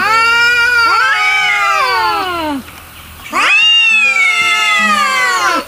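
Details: Angry cats in total anger: long, harmonic, wavering yowls that bend up and slowly fall, a first drawn-out cry of about two and a half seconds, a brief pause, then another sustained howl.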